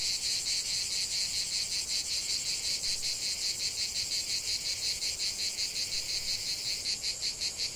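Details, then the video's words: Cicada song rising from a lavender field: a loud, piercing buzz broken into quick regular pulses, about three per second, sustained without pause throughout. "ce chant de CIGALES au cœur d'un champ de lavande"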